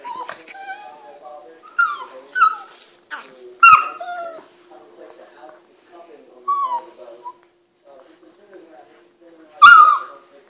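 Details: A Boston Terrier and a Pug whine, yip and grunt in bursts while playing together rough and chewing at each other.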